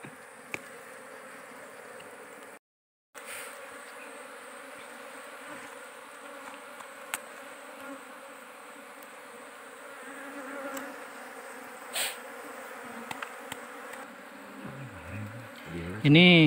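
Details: Agitated swarm of wild forest giant honey bees around a nest during a honey harvest, bees described as fierce and attacking; continuous dense humming drone with scattered clicks, a short break, and a sliding tone at the end.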